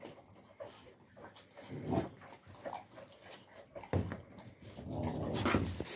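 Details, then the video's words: Young Central Asian Shepherd Dog (alabai) puppies in winter, 2022, giving soft low grunting whimpers in scattered bursts that grow louder near the end, over a rustling, noisy background. "alabai dog 24"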